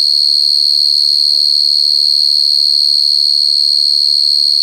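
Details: A cricket keeps up a loud, clear, high-pitched chirping, evenly pulsed at around three beats a second, while soft low voice-like sounds pass underneath during the first two seconds.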